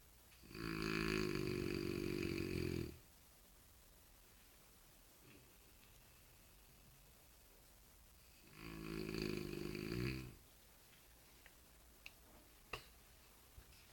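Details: French Bulldog Jean Paul, prompted to snore, gives two harsh, vibrating snores of about two seconds each, roughly eight seconds apart, with quiet room noise and a few faint clicks between them.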